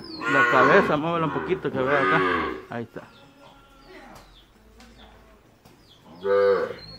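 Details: Month-old calves in El Salvador calling during a parade: two long, wavering, strongly harmonic moos back to back, a lull of clicks and faint background, then another full moo.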